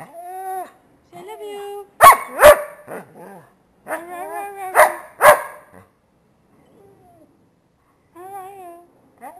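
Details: Blind, diabetic Dalmatian–Basset Hound cross dog producing long quavering howls broken by loud sharp barks, with quiet gaps between phrases.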